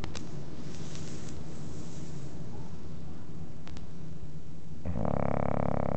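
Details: Tootie, a female bulldog, snoring: mostly a quiet low rumble, then a loud raspy snore begins in the final second.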